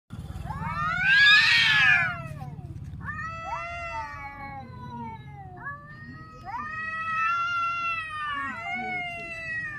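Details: Grown cats crying: long, loud, wavering wails with rich harmonics, one strong rising-and-falling cry followed by several shorter, slightly falling meows, over a low background hum.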